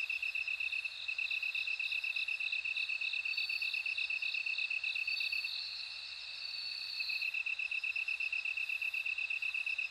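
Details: High ringing bell cricket song, a dense pulsed trill joined by a second, slightly higher insect voice whose clear bell tones swell in the middle seconds, then drop away, leaving the steady trill.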